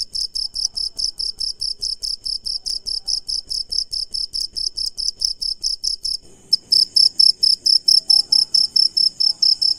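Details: At night a cricket chirps loudly in a steady train of high, piercing pulses; after a brief break around the middle the chirping resumes slightly altered, with faint low rustling beneath.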